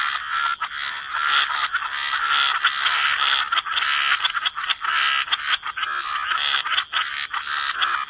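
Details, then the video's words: Croaking frogs in a dense wetland chorus by the water. The harsh calls blend into an almost unbroken wall of sound, with a few sharper clicks and pulses rising above it. "Relax to the Sound of Croaking Frogs"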